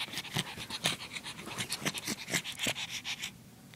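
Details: Female pug puppy breathing in fast, uneven breathy pants with some snuffly catches, trailing off near the end.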